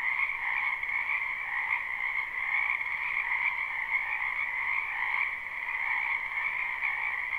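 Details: Numerous frogs calling together in a spring wetland, recorded live: a thick, buzzy trill sustained throughout, rising and falling gently in loudness, with a brief dip near the five-second mark and nothing else heard.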